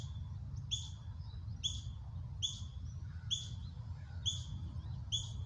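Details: A juvenile ground squirrel, one of several young practising foraging and alarm calling, gives a false alarm of sharp, high chirps about once a second; the mother froze twice but treated it as a drill.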